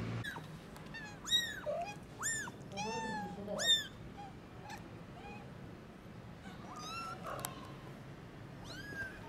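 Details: Tiny newborn kittens on their first trip into the garden meow loudly: a run of high arched cries, several overlapping, bunched near the start and again toward the end, over a low steady background hum.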